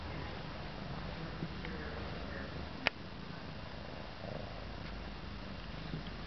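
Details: Steady low purr from Charlie, a contented cat in a cone collar, filmed indoors in January 2007; the continuous soft rumble is broken by a single sharp click about three seconds in.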